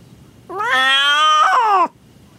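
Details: Domestic cat in labour with her first litter, indoors in a small room: one long, loud, drawn-out yowl of about a second and a half, rich in harmonics, holding level then dipping at the end; quiet room otherwise.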